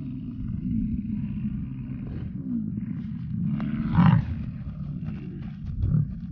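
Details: American bison bulls in rut at Yellowstone; low, continuous rumbling bellow with a louder, harsher swell around the middle and a shorter surge near the end.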